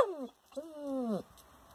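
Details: German Shepherd asking for its ring toy, called Ringo: a single drawn-out tonal whine with a brief falling note, a short pause, then a longer level cry that sags downward at the end.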